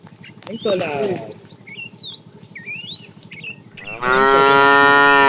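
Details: While a tame herd is driven in the afternoon, a fat cow calling the female gives a brief moo near the start and then a loud, sustained, strongly harmonic moo in the final second. Birdsong twitters in between.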